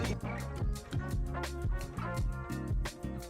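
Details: Funky band music with bass, guitar and steady drum hits, and no animal sounds at all.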